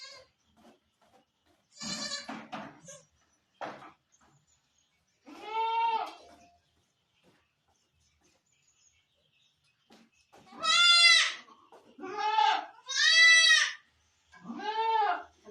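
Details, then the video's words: Barbari goat at a Sultanpur farm during delivery time, calling in loud wavering bleats with rich stacked harmonics, some short and some long, grouped in bursts with quiet gaps between and a couple of shorter rough cries early on. "barbari goat delivery time"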